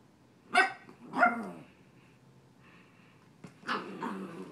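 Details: Young dog Coda bullying a cat named Grizzly in play: two sharp barks about a second apart, a quiet pause, then a rougher growling bark trailing off.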